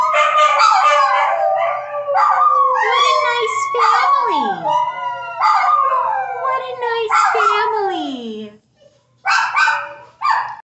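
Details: Mother dog with her puppies, a family group, howling together: overlapping wavering, harmonic wails in bursts of one to two seconds, several gliding steeply downward, with short gaps between and brief yelps near the end; no other clear sounds.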